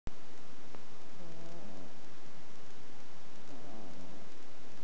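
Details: A sleeping ferret snoring: two soft, harmonic wheezing breaths about two and a half seconds apart, each gliding up and down, over a steady hiss.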